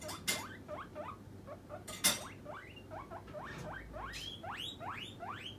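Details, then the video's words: Hungry guinea pig Puipui, a pet, demanding its snack with insistent calls: a steady string of upward-sweeping squeals, growing louder and higher toward the end, broken by two sharp knocks and a faint background hum. "モルモット 鳴き声【お腹が空いた時はこう鳴きます】Guinea pig demanding a man"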